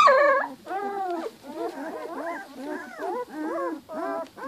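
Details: Two-week-old Giant Schnauzer puppies give high, wavering squeals, then a run of short, bent whines and whimpers in quick succession, with brief quiet gaps between bursts.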